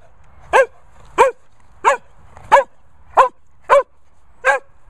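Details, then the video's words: Sprocker Spaniel barking in a steady series: seven sharp, loud barks, roughly one every two-thirds of a second, each short and bright, with a quiet background between them. "Barmy Barking Barney Sprocker"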